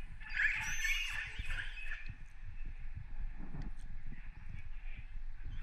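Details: A wild orca recorded underwater off northern Norway in December 2018, after dark, gives a harsh, squealing call over low underwater rumbling.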